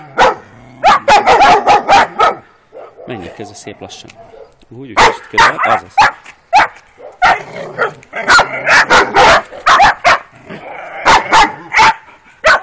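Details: First street outing for 12-week-old working Kuvasz pups, two females shown: rapid yapping barks in runs, interrupted by a stretch of human speech before the barking resumes.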